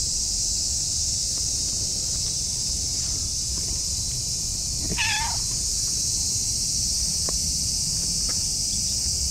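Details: Affectionate orange tabby cat meowing while rubbing against a person's legs; one short, clear meow near the midpoint that rises then falls, over a loud, steady, high insect chorus that continues throughout.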